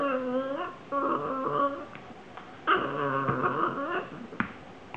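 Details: Rocco, a young Italian Greyhound, plays wildly, chasing a ball and jumping on things. He gives two bursts of tonal, wavering whines with rich overtones, a short pause between them, then faint thumps of movement.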